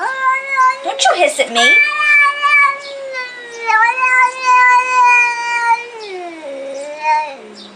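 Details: Young cat meowing in long, plaintive, wavering cries that hold steady then dip lower at the end, one sharp squeaky call early on, indoors.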